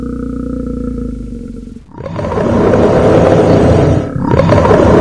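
A bear gives a low, drawn-out moan that breaks into two loud, rasping roars.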